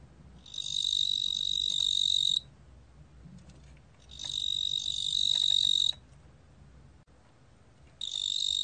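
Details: Cricket known in Korean as 뚱보귀뚜라미, 2020 recording: a sequence of high-pitched, steady trilling bursts about two seconds long, each stopping sharply, with quiet gaps of roughly one and a half seconds between them.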